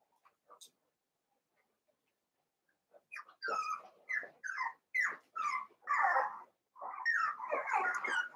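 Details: Eight Cavalier King Charles Spaniel puppies, six from one litter and two from another, merged to play together indoors: after a quiet start, a run of high whimpering yelps repeats roughly once a second, growing louder and blending together.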